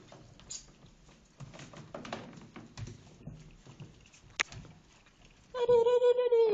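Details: Shih Tzu puppies, a two-month-old litter of males and females: soft patter and shuffling indoors, then a sustained high tonal whine with slightly falling pitch held over the last second.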